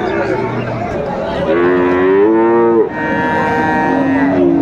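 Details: Friesian and crossbred bull calves at Raniganj cattle market, Dinajpur, on 23 December 2024; a calf gives a loud drawn-out moo with a rising then steady tone, amid traders' talk and crowd noise.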